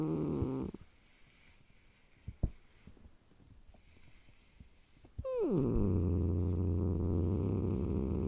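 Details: Cat growl: a brief low tone opens, then, after a quiet stretch of faint clicks, a call slides steeply downward into a long, loud, sustained low rumbling growl that continues for about three seconds.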